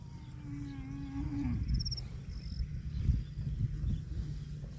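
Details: Cattle eating grass: one steady, drawn-out low moo lasting about a second and a half that bends downward at the end, followed by rustling and munching noise, with brief high chirps in the background.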